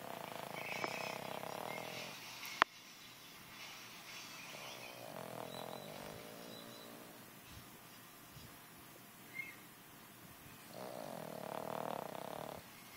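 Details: Turk, a puppy fast asleep, snoring: three soft, breathy rasping snores spaced several seconds apart, near the start, middle and end, with a sharp click early on and low room hiss throughout.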